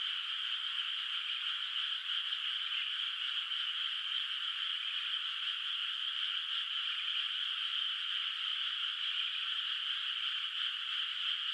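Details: Frogs in a moonlit, still-unplanted rice field at night in rural countryside; a thick, continuous mass of shrill trilled calls holds steady throughout, with no pauses and nothing else audible.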